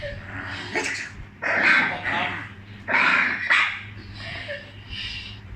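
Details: Pet dog reacting to funny sounds, giving several short, harsh barks and yips in uneven bursts, with a faint voice in the background.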